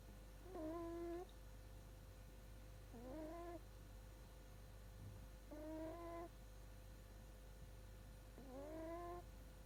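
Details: A sleeping baby Shiba Inu snores indoors. Four thin, whistling, faintly rising snores come roughly every two and a half seconds against a constant low background hum.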